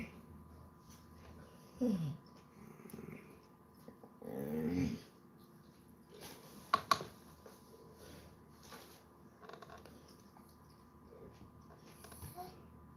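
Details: Basset Hound relaxing indoors on a Sunday, giving two drawn-out low groaning vocalizations that slide downward, around two and four-and-a-half seconds in, followed by short snort-like bursts in a quiet small room.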